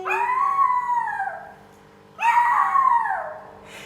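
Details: Little dog howling along with people singing a Thai song; two long, tonal howls about two seconds apart, each rising slightly, then sagging downward as it fades, with a quiet pause between them.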